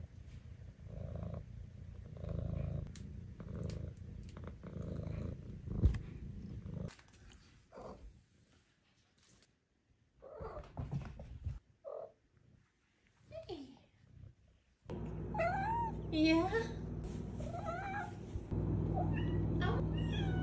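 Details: Female Maine Coon kitten, five months old, purring at first, then quiet with a few short sounds, then purring again under a run of rising, chirpy trills and small meows.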